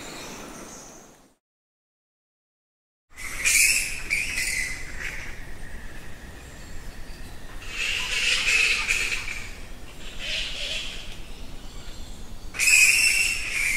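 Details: Nectar bats by the thousands in a cave at Goa Lawah, Bali, Indonesia, squeaking and squawking in loud shrill bursts that rise and fade repeatedly, after a brief silent break early on, over constant background hiss.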